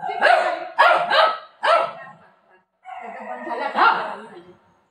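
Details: Milo the Shih Tzu, during a home haircut, lets out four quick sharp barks in under two seconds, then a lower, longer voiced sound follows after a brief pause.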